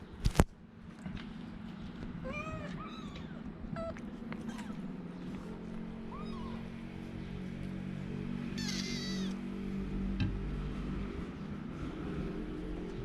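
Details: A litter of kittens from the same mother mews in short, high, curved cries, a few in a cluster early and a burst later, against a constant droning background hum and a sharp knock at the start.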